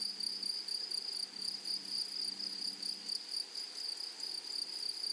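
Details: A meadow chorus of grasshoppers among flowers: a thin, piercing, unbroken shrill with a shimmering upper tone, swelling and dipping gently about twice a second.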